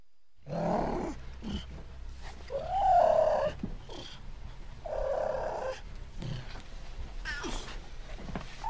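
A cougar gives hoarse, drawn-out yowling calls over a low rumbling background.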